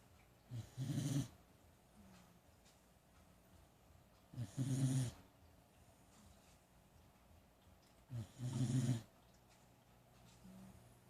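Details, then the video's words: Dog sleeping on the couch snoring, three low rattling breaths spaced about every four seconds, each a short rough rumble, quiet in between. "Dog snoring on the couch"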